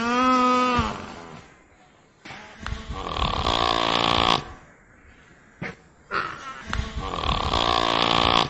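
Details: A brief tonal moan from a nutria cuts off, and two long hoarse, snoring rasps follow with a pause between them.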